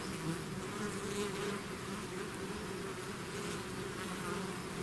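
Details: Swarm of bees pouring out of a hive: an even, humming mass of wingbeats, low droning tones overlapping with faint higher buzzes, steady in loudness.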